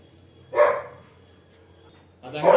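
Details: Single gruff bark from a pet Labrador Retriever, a pause of quiet, then another loud bark-like burst at the very end.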